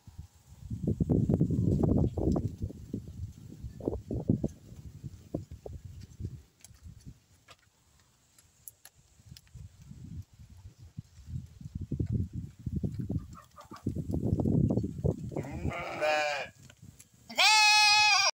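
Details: Purebred Santa Inês lambs offered for sale: mostly shuffling hooves and low trampling rumbles, then near the end a short wavering bleat followed by a louder, harmonic, quavering bleat.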